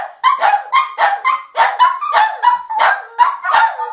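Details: Gizmo and Scamp, two dogs barking at the moon, deliver a nonstop volley of shrill, ringing yaps, roughly three per second, overlapping so the barks run together without a break.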